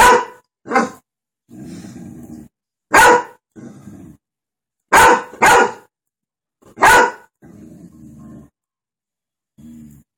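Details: Golden retriever named Lacy reacting to dogs on television with irregular bursts of sharp barks, some doubled, interspersed with low growling rumbles between them.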